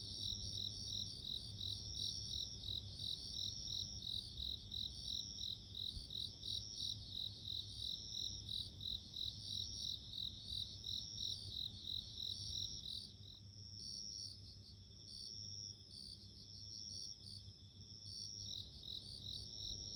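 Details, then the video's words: Bell cricket singing outdoors with fast, high, bell-like pulses running continuously for about thirteen seconds. The pulses then turn sparser and thinner, with short ringing phrases and gaps, before building again near the end, over a faint low hum. "The sound of nature【Sounds of insects】自然の音【鈴虫】"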